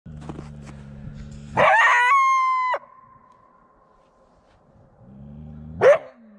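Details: A coyote gives one loud call lasting about a second: a rough, noisy onset that settles into a steady, level, ringing tone before stopping abruptly. A short sharp burst follows later. A low steady hum sits underneath at the start and end.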